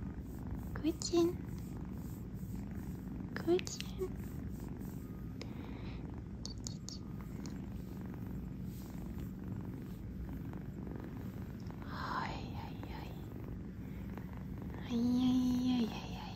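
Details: Kitten purring while napping on a fuzzy bed indoors in New York; a soft, steady low rumble runs throughout, broken by a few brief higher sounds near the start and a short tonal squeak near the end.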